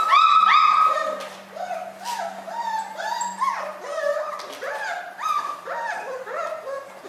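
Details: Miniature schnauzer puppies, newborn, born on New Year's Day, giving a busy run of squeaky whimpers, each a short rising-then-falling whine, about three per second and overlapping, over a low constant hum.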